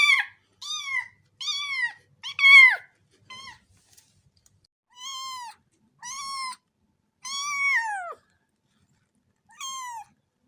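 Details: A cat meows in a long run of short and drawn-out meows, some clipped and chirpy, others bowed and falling at the end, with a pause mid-sequence; clean, quiet background.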